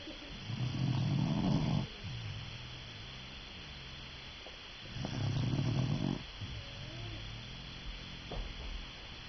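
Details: Sleeping dog snoring: two loud, low, rasping snores about four seconds apart, each lasting over a second, with quieter rumbling breaths between them.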